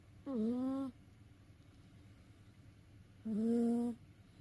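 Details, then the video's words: A house cat tired out after play snores in its sleep: two humming, tonal snores, each under a second, with a dip then a gentle rise in pitch, about three seconds apart in a quiet room. "遊び疲れた猫のいびき Snoring of a tired cat."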